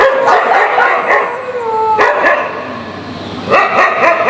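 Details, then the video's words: Several dogs barking at one another, unhappy with each other's activities: rapid overlapping barks and yips, some whining tonal notes in the middle, busy and continuous with a fresh burst near the end. "Dogs Barking. Dog Barking Sound. Dogs Barking Loudly"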